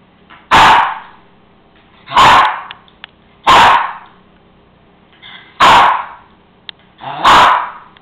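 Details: Male Cairn Terrier barking insistently because his bone sits on the kitchen counter: five sharp, loud barks spaced about every one and a half seconds, each a short bright burst, with a quiet indoor background between.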